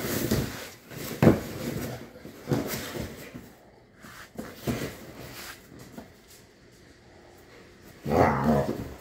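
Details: Pit bulls fighting, giving harsh, noisy growling bursts: a strong one near the start and another toward the end, with quieter scuffling and thumps between them.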